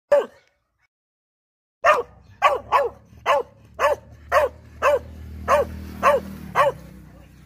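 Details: An American Cocker Spaniel barks at a person: a single bark, then a quick run of sharp, evenly paced barks.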